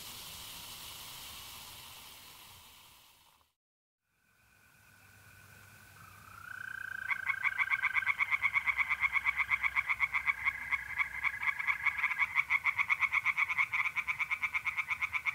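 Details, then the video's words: Tree frogs singing by night in a pond in North-East Italy in mid-April. Hiss and a brief silence come first, then a steady high trill from mole crickets, then a fast train of pulsed croaks that grows loud for the last eight seconds. "singing tree frogs in pond"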